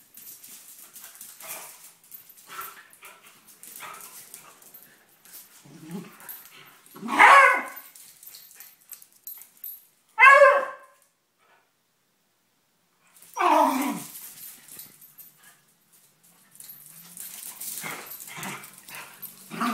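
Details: Two dogs, Binks and Shorts, wrestling together in play. Three loud, harsh barking yelps land in the middle stretch, spaced a few seconds apart, between softer scuffling, panting and rustling from the tussle.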